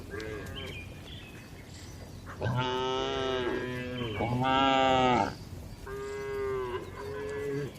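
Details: Dozens of gentle cows resting inside a well-kept livestock barn; several overlapping moos, two long loud bellows in the middle flanked by softer, shorter lows, with constant low background rumble.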